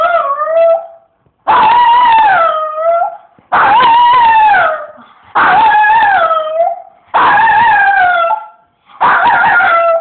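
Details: A dog howling in its "singing" style: a series of six wavering howls, each about one and a half seconds long. The pitch bends up and down within each note, with brief pauses between bursts.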